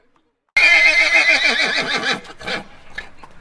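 A horse gives a loud, shrill whinny that quavers and falls in pitch, followed by short breathy snorts.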